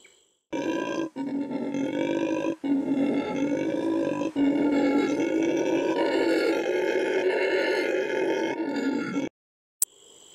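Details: A red howler monkey (Alouatta seniculus), native to the Amazon rainforest, gives a long, rough, rumbling howl that rolls on like thunder with only brief breaks for breath.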